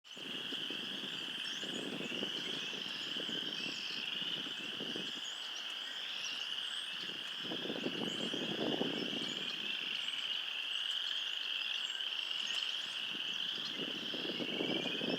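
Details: A dense frog chorus on a cold spring day of 34°F, just out of hibernation, many high trilling voices blending into a steady shimmering drone.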